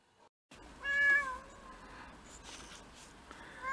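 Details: Indoor domestic cat from a household of six mixed-breed cats, filmed on a day of first snow in February 2023, giving one clear harmonic meow near the start, rising then falling, followed by quieter room sounds.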